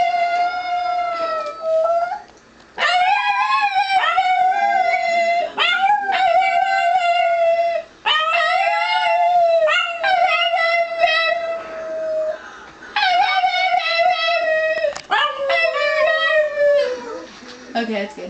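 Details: Pet dog howling along with its owner; sustained harmonic howls in several long phrases separated by short breaks, each holding a steady pitch with wavering starts, voices blending throughout.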